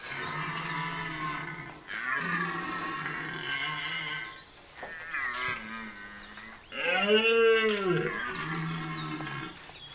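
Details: Red deer stag roaring during the rut at Chambord, France, in September 2021: deep, drawn-out harmonic bellows in a series of long moaning phrases, one swelling into a louder arched roar, with a few faint bird notes.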